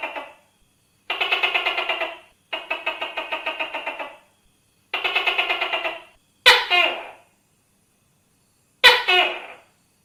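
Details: Tokay gecko starts with three long runs of rapid, evenly spaced rattling clicks, then gives two loud, sharp-onset two-syllable calls about two seconds apart in a quiet background.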